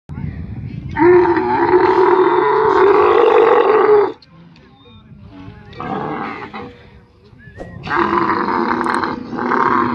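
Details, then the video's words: Camel held by its owner while being given medicine, letting out a loud, harsh, harmonic roar lasting about three seconds, a quieter gap with faint background noise, then a second drawn-out groan starting again near the end. "Camel voice"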